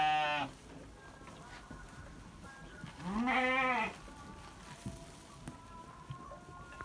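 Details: Sheep on a farm giving a wavering, nasal bleat that rises then falls around the middle, after a short bleat at the start, with a quiet background of faint tonal hum and small knocks.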